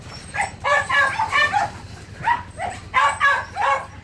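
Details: A Phu Quoc Ridgeback pup being trained to catch rats at a Saigon kennel gives excited yelping barks in two clusters, the first longer and the second after a brief pause, with a faint low hum.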